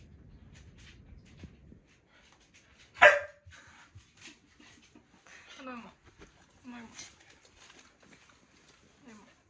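A corgi gives one sharp, loud bark of annoyance after being teased, with people talking around it.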